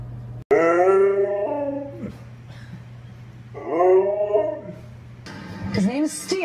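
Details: Steel, a pet Siberian Husky, gives long wavering howl-talk calls, rich with harmonics, sliding up then falling, twice with a pause between, followed by a short rising yelp and a man speaking.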